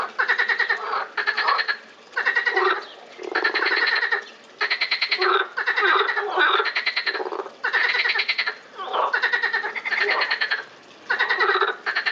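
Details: Several frogs at a botanical garden in Lausanne, recorded 20 April 2018, calling in overlapping bursts of rapid pulsed, rattling croaks, each burst about a second long, with short gaps between.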